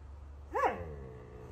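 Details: A Chihuahua gives a single short yelping bark that rises and falls in pitch, then quiet indoor room noise follows.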